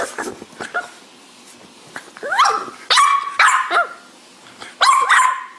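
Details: French Bulldog vocalizing indoors: soft snuffles and short yips at first, then a run of sharp rising whine-barks, three or four loud upward-sweeping cries in quick succession.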